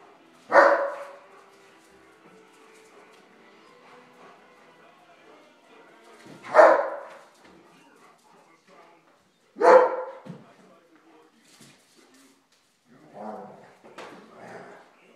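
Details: Playful Bernese Mountain Dog during a game: three separate loud barks several seconds apart, followed by softer, fainter vocal sounds near the end against a quiet background.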